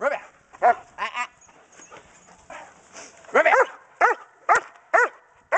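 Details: Kodiak, a pregnant German Shepherd Dog with a litter due February 5, 2010, doing Schutzhund bark and hold training on January 15, 2010; sharp harmonic barks in uneven bursts, some doubled, with a handler's voice and commands between them.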